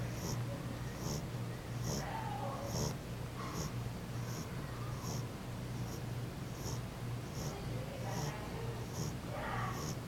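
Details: A female French Bulldog, fallen asleep, snores softly with low rumbling breaths and snorting puffs.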